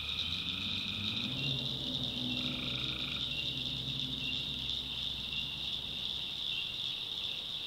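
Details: Swamp at night in the backwoods of North Carolina with tree frogs. Nasal buzzing calls come in the first three seconds, then only the steady high-pitched chorus continues, with a low murmur beneath.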